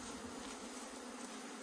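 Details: Honey bees buzzing around a broken comb while keepers try to gather them outdoors in Puning, Guangdong. A constant, dense drone with a rough, airy texture is heard from start to end.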